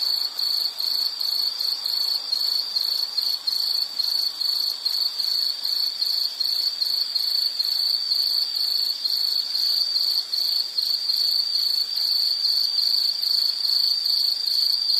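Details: Insect song as soothing background: rapid high pulsed chirps repeated steadily over the whole span, with a faint higher harmonic band and no other sounds.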